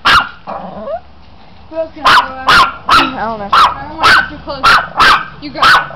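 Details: Teased Chihuahua barking steadily, about two high, clipped barks per second, after a short stretch of human speech at the start.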